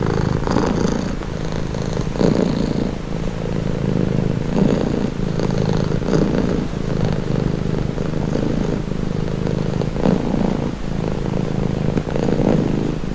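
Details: A house cat purrs nearby in a steady low vibrating rumble that swells and eases with each breath, about one cycle every two seconds; offered as soothing, stress-relieving listening.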